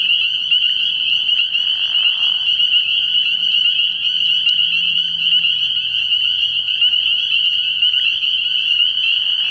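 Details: Early-year night at a frog pond, where spring peepers keep up a loud steady chorus of high peeps fused into one continuous tone, with a faint low murmur and a brief click.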